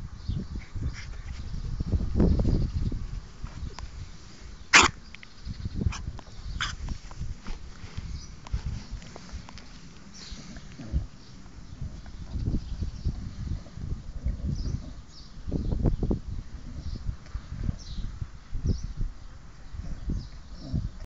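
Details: Staffordshire Bull Terrier giving rough, low, breathy bursts at irregular intervals over about twenty seconds, with a sharp click near the five-second mark and faint bird chirps high in the background.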